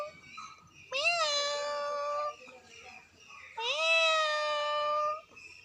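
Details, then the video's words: Very angry cat giving two long, drawn-out yowls, each about one and a half seconds, rising sharply at the start then holding a steady wavering pitch, separated by a short pause. "see my pussy🤣🤣😂😂very angry"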